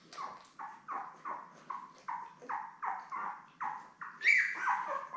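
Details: Newborn Labrador Retriever puppies, part of a litter of seven born May 24, 2021, with their mother Belle, filmed on a live puppy cam on 3 June: a steady run of short squeaky whimpers, about two or three per second, rising to a louder squeal near the end.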